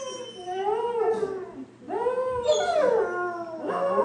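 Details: A dog howling: long mournful tones that swell and bend in pitch, two main drawn-out howls with a third starting, over a low steady hum.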